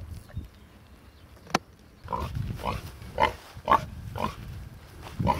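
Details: Large black Hampshire pig on a farm among sheep in Cerreto Guidi, Tuscany, Italy; short breathy grunts repeated about twice a second in a loose run, after a quiet start with one sharp click.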